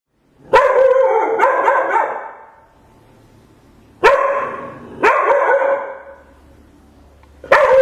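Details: A pet dog that usually goes days without making a peep barks loudly: a single bark, a quick double, then two more barks a second apart and a final one, with quiet gaps between.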